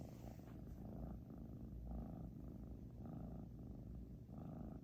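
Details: Heavy snores from Xiaoguai, a British Shorthair cat: a deep, throaty rumble with a rhythmic, pulsing texture that rises and eases about once per second, heard alone.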